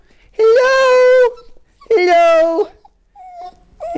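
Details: Indoors, a dog with poor eyesight greets its owner, who has come home for lunch to let it out, with two drawn-out, level whining moans, each about a second long, followed by a faint thin whimper.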